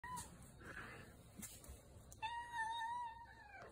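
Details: Domestic cat talking: a faint early mew, then a longer drawn-out meow near the end that holds steady before sliding downward, over a low background hiss.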